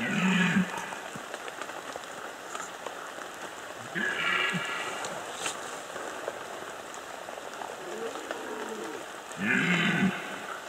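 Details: Red deer during the 2015 rut in the Bieszczady, giving three short, hoarse roars spaced a few seconds apart, each a rough, harmonic bellow, over steady hiss and patter of rain.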